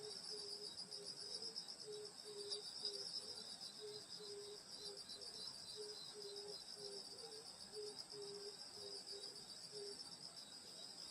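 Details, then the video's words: Rural summer night at a grandmother's house: insects hold a bright continuous high trill while a lower caller repeats short even chirps about twice a second through the recording. "여름소리 풀벌레소리 시골밤소리"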